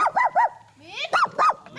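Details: Poodle giving birth to seven puppies of identical color; short, high, arching yelps come in a quick run of three, then a rising whine-like sweep, then two more sharp yelps.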